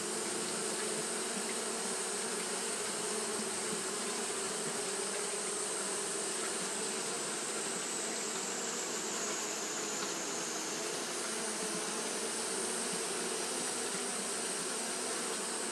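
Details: On a hot day Japanese honey bees keep up fanning behaviour, giving a thick, steady buzz of many bees with a faint high-pitched tone layered over the droning hum.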